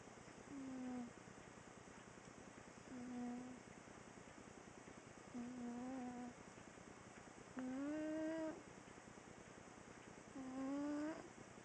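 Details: Sleeping female pet cat snoring during a nap: five soft, nasal, whistling snores, each a short tone that bends upward, repeating about every two and a half seconds over a quiet steady hum.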